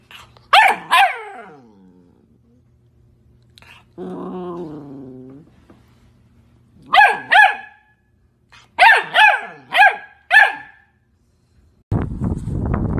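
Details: Puppies yapping in short high bursts: a double yap near the start, a drawn-out whining tone midway, then two clusters of quick sharp barks, the second a run of five; a rough noisy burst closes.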